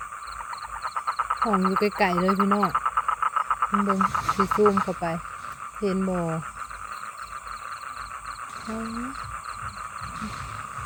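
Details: Male toad calling for females to mate, at night in a wet field. Rapid pulsed chorus with a steady ringing trill, overlaid by repeated low, wavering harmonic croaks of about a second each, with pauses between bursts.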